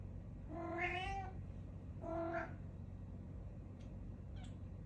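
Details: A Siamese cat meeting a new cat gives two drawn-out, harmonic meows about a second apart.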